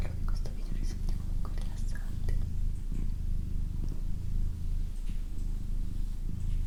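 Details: Doroti, a pet female cat, purring indoors: a steady low rumbling throb runs throughout, with soft whispering and small clicks over the top.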